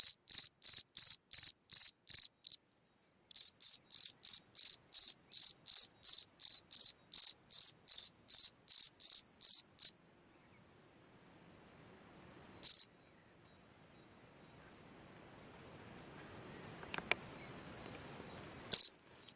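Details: Cricket chirping at night from a hole in the ground: a brisk run of high pulsed chirps that stops, leaving near silence with faint rustling and a single click, broken by two isolated chirps.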